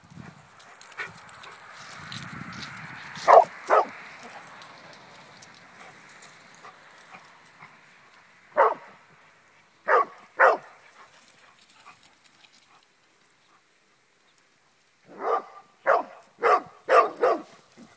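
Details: Playful English Springer Spaniel, Connecticut-bred, barking at home: soft background murmur and noise early, then scattered loud single and paired barks, ending with a fast burst of five barks over about two seconds.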